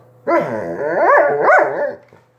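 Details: Dog producing a sustained, tonal whining howl of nearly two seconds that rises and dips in pitch twice, rich in harmonics, ending abruptly over a low background hum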